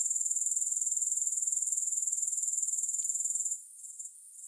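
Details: Grasshoppers in a steady, high-pitched pulsing trill with no music, throbbing about four times a second for three and a half seconds before cutting off, leaving only faint, broken chirping to the end.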